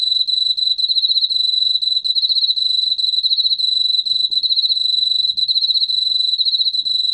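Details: Continuous shrill pulsing trill of an Emma field cricket, steady in pitch and loudness throughout, with a soft low background hum; from a 2020 National Institute of Biological Resources sound collection in Korea.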